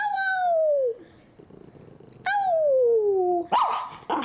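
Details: Owner's Miniature Schnauzer 'talking' back to her: two long, falling, whining moans about a second apart, each sliding from higher to lower. The owner's speech follows at the end.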